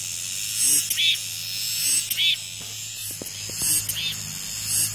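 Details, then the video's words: Cicadas singing after rain: sharp buzzing bursts about once a second over a high continuous hiss, with a low steady hum and a few faint clicks. "REAL SOUND 매미소리"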